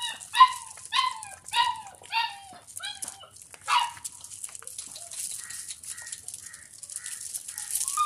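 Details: Young Doberman puppy playing and eating milk inside a house gives a run of short squeaky whines for about four seconds, then only faint scattered squeaks against quiet room noise.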